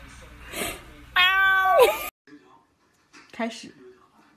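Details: A cat gives one loud, strained meow that bends downward at the end, with human speech before it and faint voices afterward in a small room.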